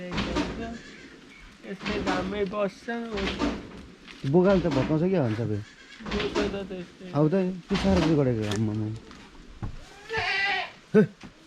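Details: Bleating from a 93% Boer goat kept on a farm in Jhapa, Nepal: repeated tremulous, wobbling cries of varying length spread across the clip, separated by brief gaps, with some rustling and background noise.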